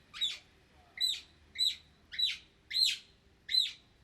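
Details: Otter in the wild giving a steady series of six sharp, high, downward-sweeping chirps, one about every half to two-thirds of a second, over a quiet, low background hum.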